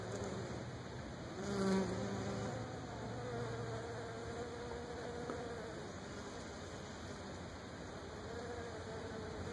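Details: Wild honey bees, thought to be Africanized or hybrid, feeding at Brazilian pepper tree blossom clusters in Florida; a low, steady droning buzz with overlapping wingbeat tones, swelling briefly as a bee passes close near two seconds.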